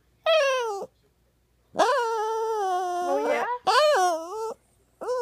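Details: Poodle called Buddha, a sad-sounding male, giving three crying wails: a brief falling whine, a long level moan that bends upward at its end, and an arched whine, with a short cry cut off at the close.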